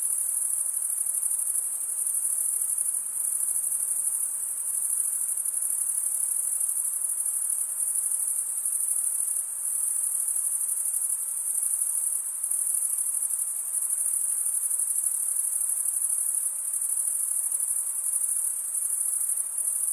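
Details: Chirping of crickets, produced by wing-on-wing stridulation: a dense, even, piercing trill high in pitch, with slight pulsing swells in loudness every few seconds over faint low hiss.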